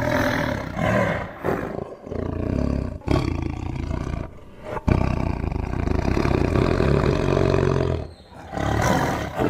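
A tiger roars in deep, rumbling bursts, each swelling loudly before breaking off into brief pauses.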